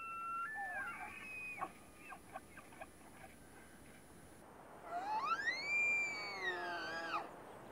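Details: Point Reyes National Seashore tule elk during the rut: a whistled bugle ends in staccato chuckles, then a strong new bugle slides up into a long, high, harmonically rich scream that bends down at its close.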